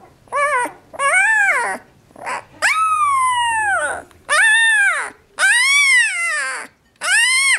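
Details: A 12-day-old female Alaskan Malamute–Siberian Husky pup protests being put back in the basket with a run of high, arching howls, each rising then sliding down. She went quiet once picked up.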